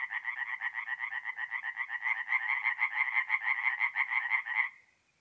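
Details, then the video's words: Singing tree frogs at a North-East Italian forest pond by night in mid-April: a quick series of grating, regularly pulsed croaks, about two per second, grows slightly louder and then stops abruptly, leaving half a second of stillness. "relaxing forest pond by night with singing tree frogs"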